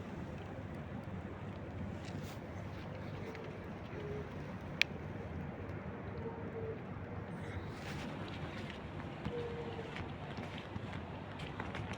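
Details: Outdoor wind and distant traffic rumble with a sharp click and faint voices, and no clear animal call heard.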